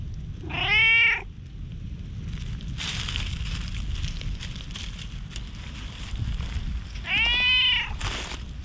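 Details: A stray tabby-and-white community cat calls insistently from under shady trees, recorded on a GoPro HERO8. There are two wavering meows about six seconds apart. The second is higher and more strained. Rustling and low outdoor hum fill the gap.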